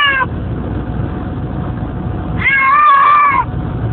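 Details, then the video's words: House cat in a moving car headed to a school pickup: the tail of one cry, a quiet gap of road noise, then a sustained wavering meow lasting about a second. "Cats hate car rides"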